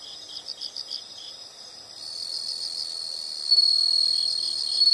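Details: Insects producing high, quick chirp bursts, then a loud sustained shrill trill swells in from two seconds and grows stronger near the end.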